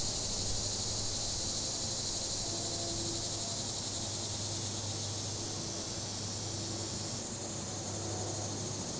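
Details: Cicadas on a windy afternoon, September 14, 2023, recorded on a Samsung Galaxy S22 Ultra phone with a Shure MV88+ stereo microphone: a steady, high, hissing buzz holds throughout under breeze, a low traffic hum and a rattling deck umbrella.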